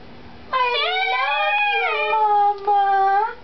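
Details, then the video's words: Chihuahua kept as a pet, howling and sneezing: one sustained, slightly wavering howl lasting about three seconds with a brief break near the end, heard just after a person says "bless you". "Sneezing Chihuahua"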